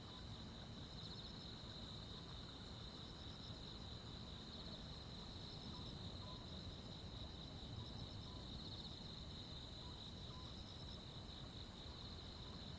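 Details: Crickets and other insects on a midsummer night in the countryside: a steady shrill trill runs throughout, with sharp high pulses repeating roughly every 0.8 seconds over low rumbling background noise.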